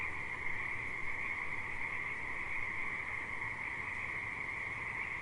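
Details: Many frogs at a river call together in a steady, unbroken chorus of high trilling over a low rumble of flowing water.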